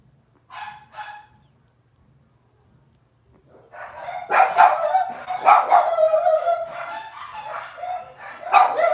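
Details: Cavalier King Charles Spaniel puppies from one litter on a kitchen livestream: two short whimpers, a pause, then a busy run of high yips and squeals from several pups overlapping.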